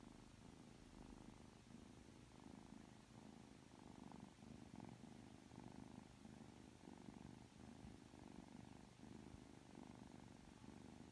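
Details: Three-month-old Ragdoll kitten Aki, cuddly and affectionate right after waking up, purrs continuously: a low, even rumble whose pulsing swells and fades with each breath across eleven seconds.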